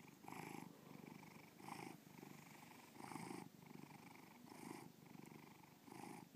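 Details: Domestic cat named Bubba purring steadily indoors, a low rumbling purr with rhythmic louder pulses about every one and a half seconds, matching inhale and exhale cycles; recording exhibited in the 2013 BubbaPalooza art show at Breakneck Gallery, Lakewood, Ohio.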